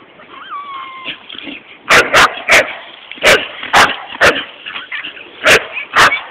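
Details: At the beach, bull terrier Bullseye walking with his family gives a brief wavering whine, then a quick series of sharp, loud yipping barks roughly every half second against a constant noisy background.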